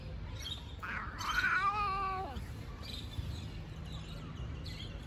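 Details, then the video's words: A fluffy stray cat living near people who feed homeless cats utters one long, wavering meow that rises then slides downward, with steady low outdoor hum underneath. "The Fluffy Cat Meows Funny"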